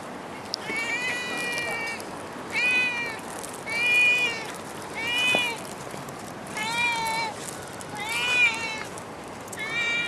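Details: Stray cat in Singapore, filmed near a car, giving a run of high harmonic meows, each about half a second long, repeated roughly every second with short gaps, over a steady hiss of outdoor background noise.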